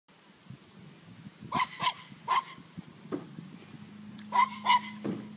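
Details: Chihuahua playing with a six-month-old cow, giving short, high yipping barks in quick pairs and clusters, some sharp and bright, with a faint steady low hum beneath and quiet rustling between calls.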